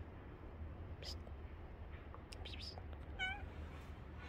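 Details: A domestic cat gives a single short meow near the end, a clear tonal cry with stacked harmonics, preceded by faint clicks and scraping noises over a steady low hum.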